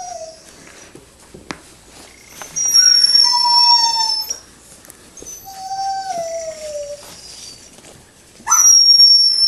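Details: Six-week-old puppies of Rustydog whimpering: thin, high whines that slide downward, in short separate bursts with quiet gaps, the loudest near the middle and the end, plus a few faint clicks and knocks.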